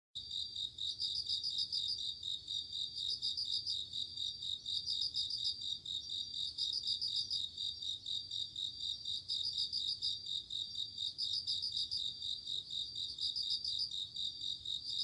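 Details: Bell crickets singing on an autumn night, evoking the mood of insects calling after dark: high, bright ringing trills in pulsed bursts repeating about every two seconds over a steady high-pitched insect chorus.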